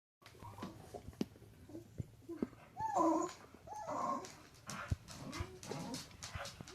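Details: Pet dog indoors in a small room making 'talking' vocalizations: soft, curving whimpers and whines that rise and fall, with louder drawn-out moans near the middle, separated by short pauses and faint clicks.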